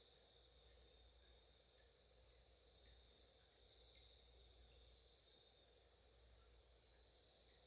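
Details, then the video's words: 3 "焚き火 虫の鳴き声"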